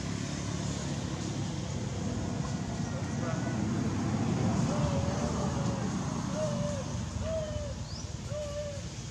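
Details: Hungry newborn baby monkey Madea begs its mother for milk with thin, whistled coos that rise and dip slightly, about four in quick succession in the second half, over a loud steady low rumble like traffic.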